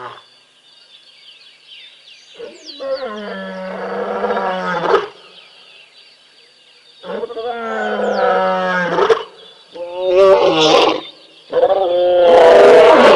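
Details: A big male lion of a pride roars at a waterhole at Tembe while sub-adults play. Long, deep, moaning roars swell and fade in bouts of about two seconds each, over a thin, steady high-pitched background hum.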